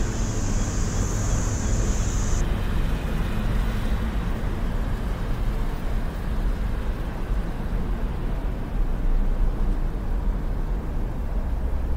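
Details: Steady low rumble of passing vehicles and road traffic fills the whole recording, with a brief high electronic whine in the first two seconds; no animal calls are heard.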